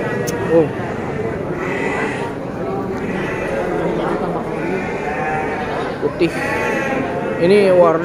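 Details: All-white Garut fighting sheep (domba tangkas) at Tanjungsari market: several short, wavering, quavering bleats, the loudest near the start and end, heard over constant men's chatter and market crowd noise.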